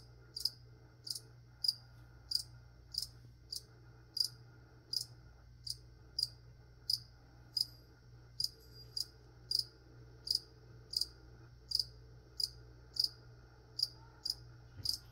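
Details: A cricket chirps steadily while plants are being sprayed in an ASMR recording. Crisp, high, evenly spaced chirps come about every 0.7 seconds, with a low background hum.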